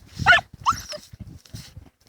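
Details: Two dachshunds digging burrows in a field in autumn 2015. Two sharp, high yelping barks come in quick succession at the start, followed by soft thuds and sniffing from the digging.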